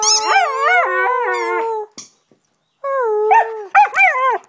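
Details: Pet Husky howling and singing in a domestic setting, recorded 25 November 2010, encouraged by a person making sounds: long wavering tonal howls with rich harmonics, rising and falling, a pause, then more bending howls.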